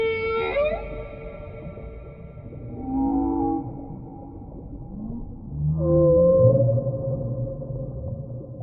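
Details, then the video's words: Whale in the deep sea: a high tonal cry slides down, followed by soft low groans and then a clear rising whoop that levels into a long, steady moan, with low rumbling underneath. "Real Whale Sounds"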